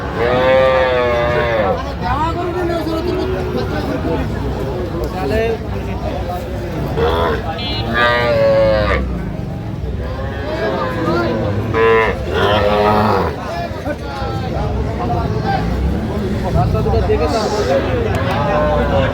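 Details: Young cattle, small bulls and heifer calves, including Sahiwal, at a Dhaka cattle market on 3 August 2025. Several drawn-out, wavering moos rise and fall through the clip, heavily overlapped by constant bargaining voices and crowd chatter.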